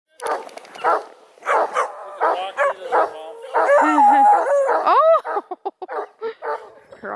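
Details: Several saucy 4-month-old Redbone Coonhound puppies, two males and two females among them, bred near Kingston, Ontario, Canada, give rapid yelping barks and a drawn, wavering whine with rising-and-falling squeals, mixed with human voices.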